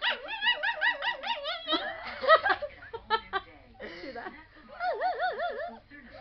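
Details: Pet dog that hates even a slight breeze on his face, whining in a moody fit: drawn-out, wavering high whines that rise and fall in warbling loops, broken by a burst of rougher yelping, then more quavering whines.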